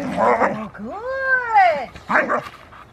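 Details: Female Rottweiler Foofy, starting protection training at Victoria Rottweiler Club on August 2, 2020, lets out a long rising-then-falling harmonic whine, bracketed by short muffled vocal bursts before and after.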